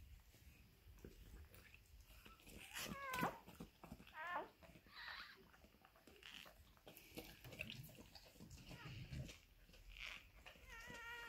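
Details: Newborn Maremma Sheepdog puppy at birth, giving thin, high squeaky whines that rise and waver in short bursts, with a longer squeal near the end; people speak softly nearby amid indoor rustling.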